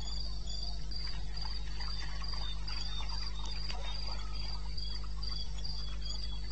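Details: Cricket calling in the wilderness of eastern Botswana, Africa, recorded 21 May 16 at 2:30 am; high, even chirps repeated about twice a second with a fainter lower trill beneath, over a steady low hum and scattered soft clicks.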